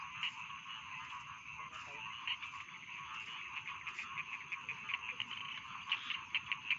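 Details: Rice field frogs croaking for a bedtime soundscape: sharp, rapid clicking croaks in quick bursts, growing denser toward the end, over a dense chorus of distant trilling frogs.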